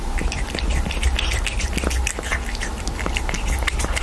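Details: A cat licking tomato sauce, recorded up close for ASMR: a dense stream of wet, rapid clicks and smacking licks over a steady low rumble.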